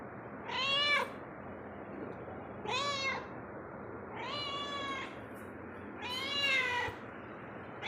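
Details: Cat wandering indoors at home, meowing four times at intervals of roughly two seconds; drawn-out, arching meows of similar pitch, some slightly longer, with a faint background hum throughout.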